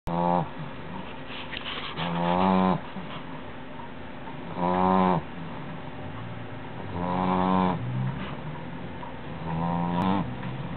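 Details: Tired dog snoring unusually loud: drawn-out rasping snores with a buzzy, ribbed texture, each lasting about a second and returning every two to three seconds over a steady low rumble.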